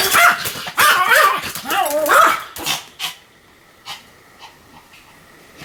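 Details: Pomeranian dog in a bout of continuous barking: several loud wavering yelping barks in the first half, then a short bark and quieter scattered sounds with a steady faint hum in the background.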